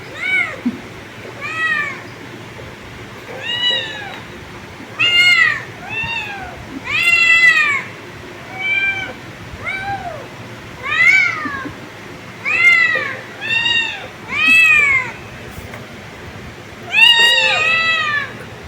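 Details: Several kittens give high, thin meows, each arching up then down, repeated about once a second.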